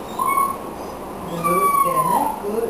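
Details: Whisky, a miniature schnauzer, vocalises while performing a repertoire of tricks: two drawn-out, tonal whining notes, the second long and slowly falling, with the trainer's voice giving praise and commands around them.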